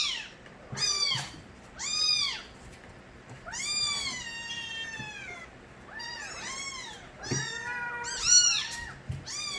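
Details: Loud crying of Nabi's kittens, young street cats, from their kitten days. Around eight bright arched mews, some overlapping, come in bursts, with faint low thumps underneath.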